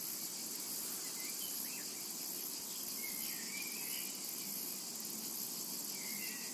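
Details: Cicadas in a summer meadow: a dense, steady, high-pitched buzzing that fills the whole stretch without a break, with a few short, faint bird chirps rising above it.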